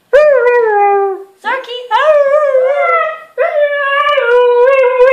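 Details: Huskies howling indoors: long tonal wavering howls with rich harmonics, one drawn-out note falling, a brief break, then two more rising-and-falling howls held steadily to the end.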